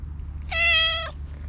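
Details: Black stray cat meowing once, a clear steady harmonic-rich meow lasting about half a second, slightly falling at the end, over a low constant background hum.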